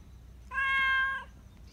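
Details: Black Persian cat, a community cat living in a park in Japan, meowing because it wants attention and affection; one clear, sustained, steady harmonic meow lasting under a second over quiet low background rumble.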